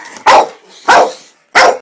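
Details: Staffordshire terrier barking angrily after being called a wanker: three short, loud, harsh barks about 0.6 seconds apart, each a broad rough burst with a quick fade.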